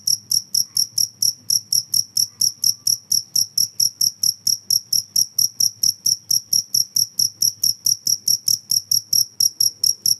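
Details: A cricket's shrill, evenly spaced chirps pulse on without a break, a little over two each second, above a faint low hum; the recording is meant to repel rats.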